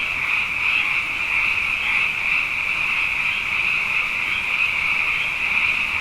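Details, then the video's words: A mass of frogs sings after dark following two wet years. Their high, trilled calls merge into one constant, even drone of overlapping voices with faint rhythmic flutter throughout. "Frog Songs: Na Mele o nā Paloka"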